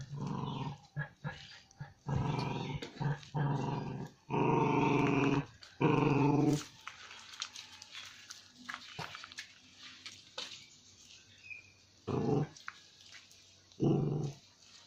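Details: A salivating dog gives repeated deep, rasping growls in uneven bursts of one to two seconds, with quiet gaps, softer snuffling and a few faint human sounds between them, indoors.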